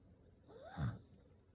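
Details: Sleeping Corgi snoring in deep sleep: a single low, rough snore swells and fades in about half a second, with a faint steady high hiss behind it.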